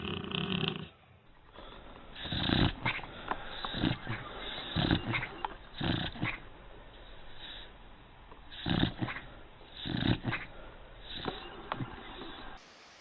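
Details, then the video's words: Sleeping dog snoring: rough, noisy breaths in bursts roughly every one to two seconds, some louder snorts among them, with faint background noise. "All Snoring Dog (храп собака)"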